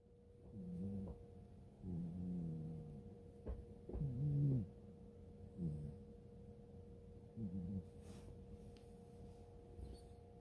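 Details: Sleeping cat snoring: low, throaty rumbling breaths that swell and fade roughly every two seconds, about five snores in a row, over a steady faint electrical hum.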